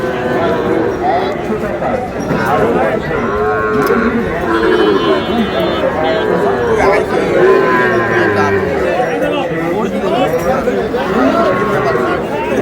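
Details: Sahiwal bull calves at a Noakhali cattle market in Bangladesh, lowing repeatedly in long wavering moos, several animals overlapping, under constant crowd noise and men haggling over prices.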